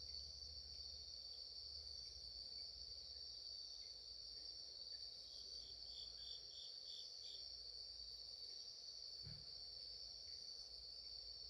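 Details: 2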